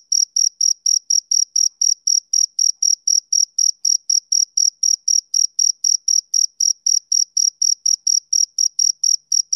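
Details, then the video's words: Continuous rapid chirps of a male cricket, thin and high, pulsing about four times per second without pause. No other animals, wind or voices are present. "Cricket Chirping Sound Effect"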